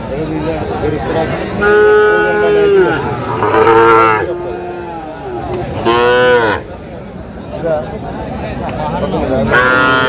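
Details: Sahiwal bull calves at a cattle market in Gopalganj, Bangladesh, on 22 July 2025: several loud, drawn-out harmonic moos, some rising and then falling, spaced a few seconds apart over steady market chatter and traders' voices.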